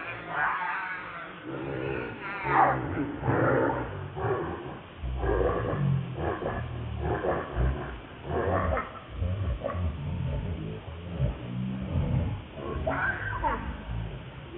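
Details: ['Lucie, a baby monkey, makes a long run of short, choppy whimpers and squeals, with one sharper squeal early on. Heavy low rumbling and rustling continue underneath throughout.']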